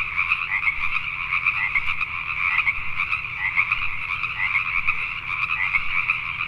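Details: Many Pacific tree frogs call together at night in Richmond, British Columbia, Canada. Their raspy croaks overlap continuously, rising and falling in loudness, over a soft low rumble.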